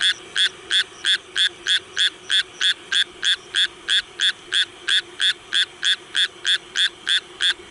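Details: Close, loud croaking of a Japanese tree frog in rain, evenly spaced raspy notes about three per second, very regular and continuous, with little other sound.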